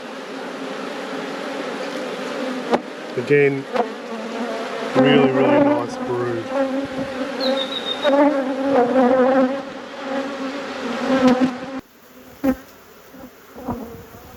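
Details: Steady droning hum of honey bees from an apiary hive being inspected, low and even with a stronger overtone, briefly overlaid by spoken words in the middle before the buzz thins and quiets near the end.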